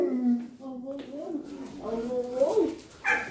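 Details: Alaskan Malamute and Australian Shepherd puppy vocalizing indoors before going out; wavering, whiny tonal moans with yodel-like pitch bends rise and fall across the clip, ending in a brief sharper yelp.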